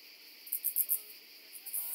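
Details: Common pincer grasshopper (Calliptamus italicus) on Pag, Croatia, 2 September 2019: four short, very high, hissing pulses in quick succession, then a couple of fainter ticks against quiet background.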